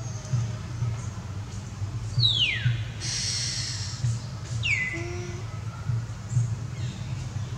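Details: Mother and baby monkeys of the Amari troop cry out to call their babies and leader back; two high squeals slide steeply downward, separated by a brief hissing burst, over a steady low hum.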